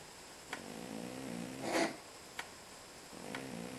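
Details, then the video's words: Pet cat asleep and snoring, a drawn-out buzzy rasp with a gritty burst in the middle, then another snore starting as the breath cycles; a few faint clicks in a quiet room. "Кошка храпит"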